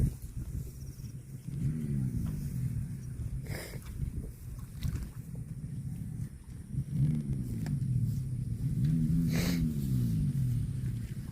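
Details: Cattle moos: three separate low, rising-then-falling moos, each lasting about a second, spaced several seconds apart. Outdoor rumble and short bursts of broadband noise come between them.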